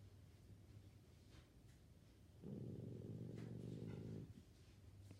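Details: Sleeping pug snoring indoors: a low rattling, throaty snore lasting nearly two seconds, rasping and steady, over a faint background hum, with quieter breathing before and after.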